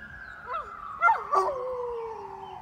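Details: Molly, a big Great Pyrenees, howls in response to a passing siren: a long wavering howl sliding slowly downward, with brief yips and breaks near the middle, as the siren's tone fades behind her.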